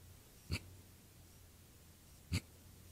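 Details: Two brief, deep grunts about two seconds apart from a male javelina at night, the animal limping on a swollen left rear leg injured four months earlier, with a steady low hum beneath.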